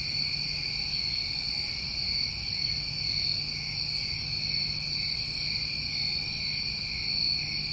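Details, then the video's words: New England summertime crickets at night, a dense chorus of steady unbroken trilling in two bright high bands, with soft brief shimmering pulses above and a faint low hum underneath. "Over 1 Hour Of Tinnitus Masking With Crickets"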